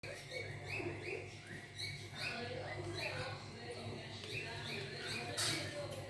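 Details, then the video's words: Hungry kitten mewing: thin, high arched mews repeated rapidly and overlapping, with a steady low hum underneath. "hungry kitten"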